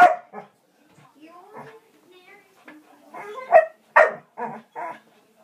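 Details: Kerry Blue Terrier harassed by a squirrel: a sharp bark opens, then soft whining and talk, then a burst of four rapid barks close together near the end.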